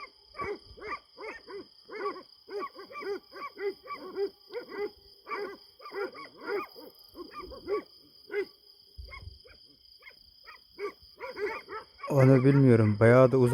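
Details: Kangal dogs attacking at night on a farm, filmed by night vision from some distance: long volleys of quick barks, several per second, pausing after eight seconds, then loud close rustling and handling noise at the end.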